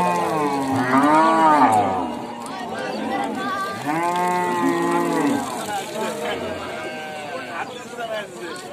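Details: Cows mooing, several drawn-out harmonic moos of about one to one and a half seconds each, arching up then down in pitch, with a quieter moo near the end over steady background hum.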